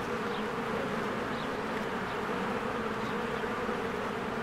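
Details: Busy honeybees at their hive while trees green in spring: steady droning buzz of many insects, with a few faint high bird chirps rising briefly above the hum.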